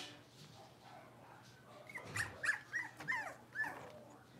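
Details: Blenheim Cavalier King Charles Spaniel puppies, a litter of five born to Paris and Spike at New Year, playing in an indoor puppy pen: a run of five short, high yips about every half second, with faint soft whines before them.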